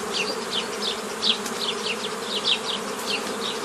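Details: A forager swarm of honey bees divided into nucleus colonies, 15 May 2018: an even low hum carries beneath rapid, rhythmic high chirps that fall in pitch, repeating about every quarter second.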